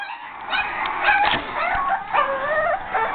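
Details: Boston Terrier pups about 5½ weeks old scream and whine in high, wavering, overlapping cries, one screaming especially hard, wanting to get out of their enclosure.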